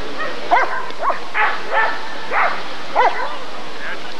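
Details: At a 1994 ADRK Körung, a Rottweiler barks six times in quick succession, short clipped barks roughly half a second apart, with some uneven spacing and a steady low background murmur.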